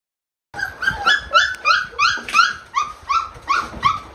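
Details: Brittany spaniel father, excited while greeting each of his puppies by bumping noses, gives a rapid series of high, thin whining yelps, about three per second, each a short bent note with bright overtones.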